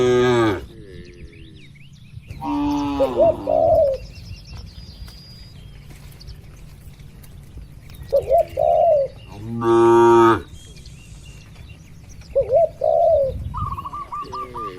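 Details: Peaceful farm pen holding dozens of tame cows: a few short moos, the loudest near the middle, are separated by quiet stretches, with repeated soft dove coos and a brief run of chirps near the end.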